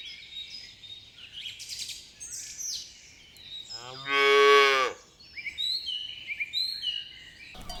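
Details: In a green pasture where cows search for food, one cow gives a single drawn-out moo lasting about a second, while small birds chirp and twitter steadily around it.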